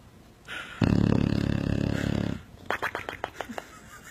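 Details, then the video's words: Sleeping dog snoring like a motorcycle; a loud, rough, rattling snore of about a second and a half, then a series of soft clicking sounds. "Adorable Dog Snores Like a Motorcycle"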